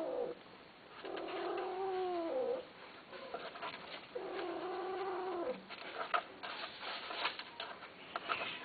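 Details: A Himalayan Persian cat gives two long, wavering, moaning yowls during mating between a female and a male.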